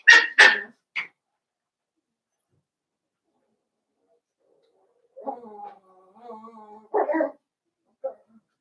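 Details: Blenheim Cavalier King Charles Spaniel puppies, a litter of five born at New Year's, kept indoors in a puppy pen. Two sharp, high yelps and a short yip open, then silence, then a wavering tonal whine and one last squeal.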